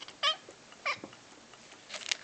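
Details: Indoor male domestic cat, asked by its owner to talk, answers with two short harmonic chirped calls about half a second apart, then a faint noisy rustle near the end.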